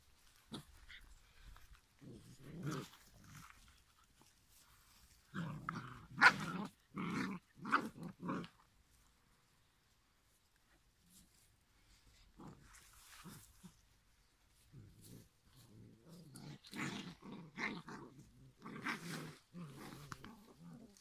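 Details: Five-week-old giant schnauzer puppies growl and grumble in short low bursts. The bursts cluster in bouts with a quiet gap in the middle, and a few higher yelps are mixed in.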